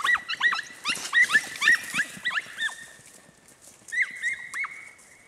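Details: Podenco Andaluz dogs, Los Romeros line, Baños de la Encina in Jaén, Spain: bursts of sharp, high yelps with falling tails, a quick run of about eight, a brief pause, then a few more yelps.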